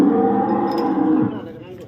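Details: Cow for sale at a dairy farm in Samora village, Karnal, Haryana, India: one long, steady, deep moo with rich harmonics that fades toward the end.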